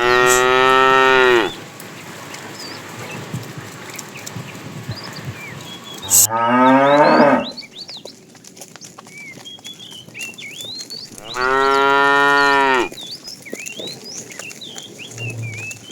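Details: A herd of tame cows is herded in the afternoon while a fat cow calls to the female. Three drawn-out, resonant moos of about one to two seconds each come roughly every five seconds. Birds twitter in the background.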